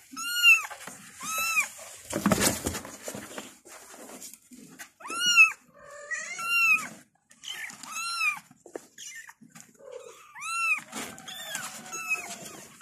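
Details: Kittens calling for their mother with high, arched meows, each a short rise and fall, given in spaced bursts about once a second, overlapping at times, with a brief rustle of handling noise.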